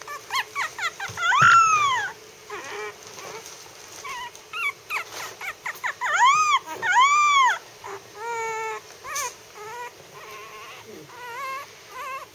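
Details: Howler, a three-week-old Maltese puppy lying on his back, howls in rising-then-falling arched wails, some long and wavering, mixed with short yelps and whimpers in irregular bursts; a low hum persists underneath.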